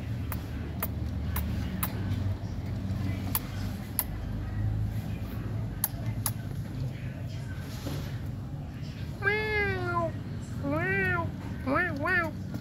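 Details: Domestic cat meowing in the last few seconds, several arched, harmonic-rich meows near 9, 11 and 12 seconds after earlier quiet with scattered clicks and low steady hum throughout.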